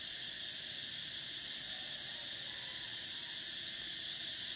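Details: Cicadas singing in summer: a steady, dense, high shrill buzz with stacked bright bands, unbroken across the whole stretch, with no other sound standing out.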